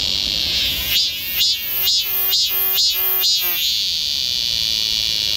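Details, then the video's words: Cicadas in summer forest at Galsan Park, Mokdong, Yangcheon-gu, Seoul, chorusing along a woodland walking path: a steady high buzzing drone with a pulsed, throbbing call repeated about twice a second for a few seconds, then fading back to drone. "갈산공원 매미들 숲속의 합창"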